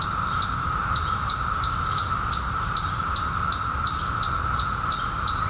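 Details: Chorus of periodical cicadas emerged in 2021 after a 17-year hiding: a constant droning hum underneath, topped by a nearby bird's quick, descending high chirps repeated about every third of a second.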